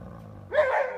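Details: Alaskan Malamute; growl; aggression, an angry warning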